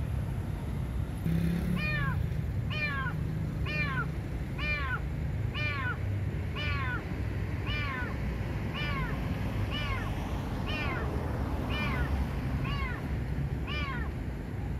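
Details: Stray domestic cat trapped in a parked car in a parking lot at night, crying for help: loud, arching meows repeated about once per second, a dozen or more in a row, over a steady low traffic rumble.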